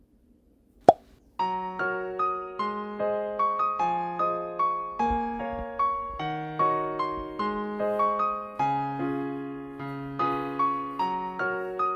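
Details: A single sharp click, then a bright electric piano melody of plucked notes, without any animal sound.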